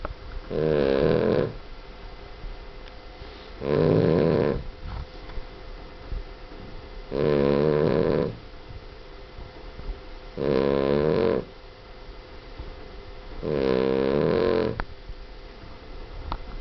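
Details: A Boston Terrier snores extremely loudly, each rattling, buzzy breath coming about every three seconds.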